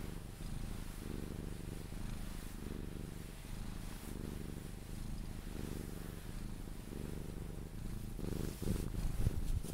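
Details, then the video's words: Sphynx cat purring while being cuddled until it falls asleep; a steady low rumbling purr with regular pulsing throughout, faint rustling of handling near the end. "CUDDLING MY SPHYNX | 10 MIN CAT PURRING CUDDLES E KISSES SOUNDS"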